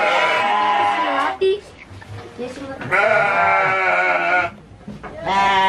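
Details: Garut sheep at a fighting-sheep farm in Dangiang, Cilawu, Garut, West Java, Indonesia: three loud, harmonic, wavering bleats, each over a second long, separated by short quieter gaps with faint background sounds.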